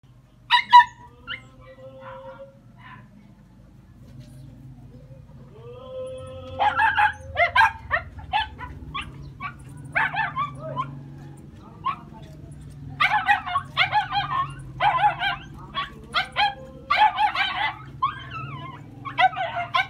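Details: Jack Russell Terriers on a hunt: a few thin whimpers at first, then volleys of high, excited yips and short barks in quick irregular bursts, over a steady low hum.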